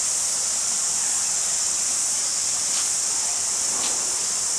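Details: Cricket at Jelly Park, Christchurch, New Zealand, February 2010: an unbroken, shrill, very high trill that holds steady and loud throughout. Nothing else stands out.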